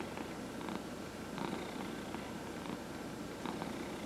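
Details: Indoor domestic cat purring during a massage, one of four cats including seniors; continuous low rumbling purr with short brighter rustles of hands on fur recurring about every second.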